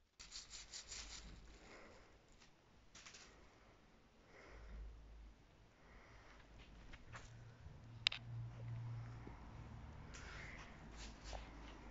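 Rubbing and rustling noises with scattered scrapes and a sharp click, with no animal voice.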